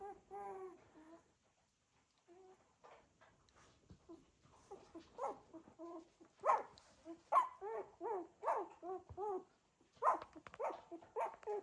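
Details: Indoor litter of Cocker Spaniel puppies moving about, producing a rapid run of high squeaky whines and yelps, about one a second, after a quieter opening with a few isolated whimpers.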